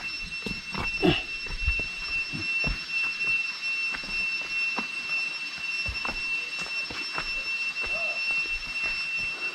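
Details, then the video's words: Cricket calling beside a mountain trail to Kreikung Taung in Bandarban, Bangladesh, praised as a wonderful hill sound: a steady, thin, high ringing tone held throughout, with footsteps and rustling underneath. "আপনারা কি একটি ঝিঝি পোকার ডাক শুনতে পাচ্ছেন?"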